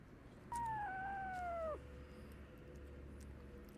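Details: Abandoned kitten left freezing in the snow for two days at -11°C, then rescued; one clear meow lasting just over a second, starting higher and sliding down steadily, over a quiet low rumbling background.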